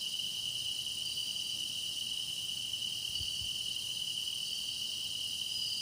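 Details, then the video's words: Chorus of grass insects, kept for meditation listening: a continuous shrill ringing with a steady piercing tone and airy high hiss. A couple of soft low thumps come near the middle. "깊어가는 풀벌레 노랫소리"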